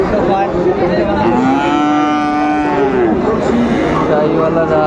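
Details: Sahiwal bull at a cattle market in Kushtia, Bangladesh, on 16 January 2025, giving a long tonal moo that rises slightly, holds, then falls, over the constant roar of a busy crowd.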